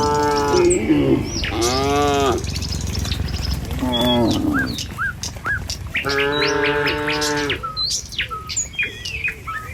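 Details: Tame cattle herded along a village road in the morning on their way to a field to feed, walking in line with the herd. Three drawn-out, harmonic moos rise over a steady low rumble, with bright bird chirps and tweets scattered throughout.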